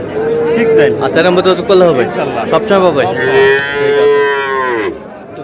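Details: At a Friday cattle market in Chattogram, Bangladesh, during Ramadan, where young Sahiwal bull calves are sold, two drawn-out, even-pitched moos frame a stretch of men talking in Bengali nearby.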